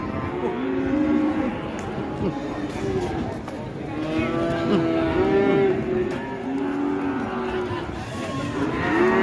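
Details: Cattle running wild after release give intermittent moos, rising and falling, half buried under a rough, noisy din of movement and commotion, with bellows surfacing every few seconds.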